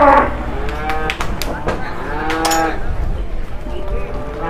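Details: Peranakan Ongole cattle at a market in Muntilan, Indonesia, under morning cloud: a loud moo opens, then softer overlapping lowing from other animals, with people talking and knocking sounds throughout.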